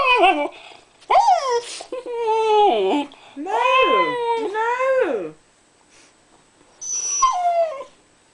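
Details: Husky named Jazz talking to a woman while wanting some of her toast, indoors; a run of loud, bending whine-howls that swoop up and down in pitch, grouped in long phrases with pauses between, a person briefly speaking beforehand.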